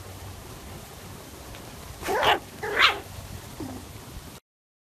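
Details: Poodle puppy giving two short, sharp yapping barks about a second apart, followed by a faint low whine, over a quiet steady background hiss.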